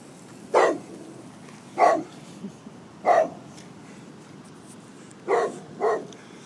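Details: Golden Retriever barking at a couple of prams, an inanimate object that bothers him: five sharp single barks spaced about one to two seconds apart, with a quiet background.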